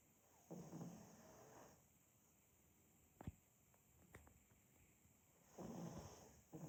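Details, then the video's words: Pug named Demid asleep indoors, snoring in two long rasping breaths about five seconds apart, each a low rumbling burst lasting about a second, with faint snuffles and clicks between them in a quiet room. "Просто АСМР храп мопса"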